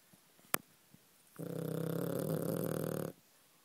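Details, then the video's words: Sleeping pet dog gives one low, harsh snore lasting nearly two seconds, rough and buzzy. It follows a sharp click and quiet room sounds. "Doggy snore"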